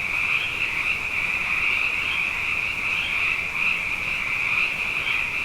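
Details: Night chorus of many frogs, plentiful after two consecutive wet years; overlapping high trills form a continuous ringing wall of sound that swells and pulses gently, with fainter lower croaking underneath.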